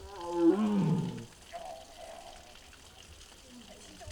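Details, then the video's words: Mugung, a six-year-old tiger kept at the Tiger Forest in Bonghwa, South Korea, recorded 24 April 2026 in the afternoon while making strange sounds, possibly unwell; one moaning harmonic call in the first second, then faint background murmurs. "무궁이 아프다? 알코올 먹고? 이상한 소리들"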